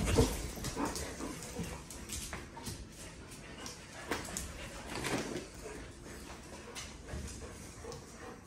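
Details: Puppies at play on 12-5-2023 as Kiko, an Australian Shepherd, joins the puppy team for half a day; a short whimpering yip opens the clip, then steady scuffling and rustling noise carry on throughout.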